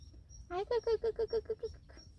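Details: Stray cat seen often at a workplace, lying belly-up and wanting to be touched, utters a quick run of about eight short, evenly spaced mews that fall away in loudness.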